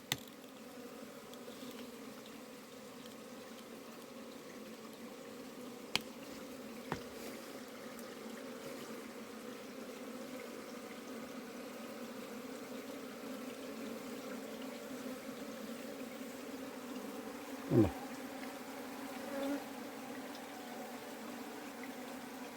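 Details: Honey bees of a colony being kept inside soil give a soft, even hum with layered low tones, broken only by a few clicks and one sharp knock.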